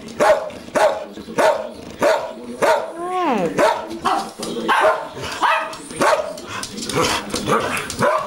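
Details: Pair of Schnauzers giving repeated short barks about twice a second, broken midway by a sliding, falling whine-like yelp, then denser overlapping barks and yips toward the end.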